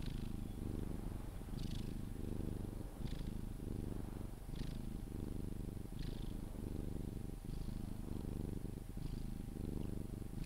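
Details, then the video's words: Sphynx cat purring while cuddled until falling asleep, a deep steady rumbling purr in close pulses, with short soft kissing or smacking sounds repeating every one to two seconds above it. "CUDDLING MY SPHYNX | 10 MIN CAT PURRING CUDDLES E KISSES SOUNDS"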